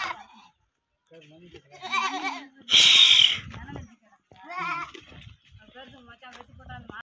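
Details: Kodi goat kids, thirteen young males offered for sale, let out a few short wavering bleats among human voices, with a loud harsh hissing burst in the middle and quieter rustling between calls.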